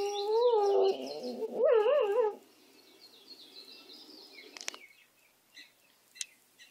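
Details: Benny, a dog, gives a wavering, quavering howl in two rising and falling phrases. Quiet follows, with faint ticks and a few chirps in the background.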